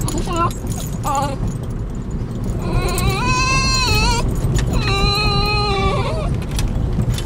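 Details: Excited Basenjis riding in a car toward their favorite nearby park whine: two short yelps first, then two long drawn-out whines of about one and a half seconds each, steady then dipping, over low engine rumble.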